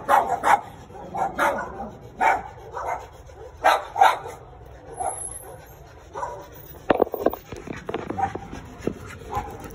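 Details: Chihuahuas belonging to a neighbour, loose in the street and barking at people: bursts of short high yaps in the first half, then scattered clatter and handling noises.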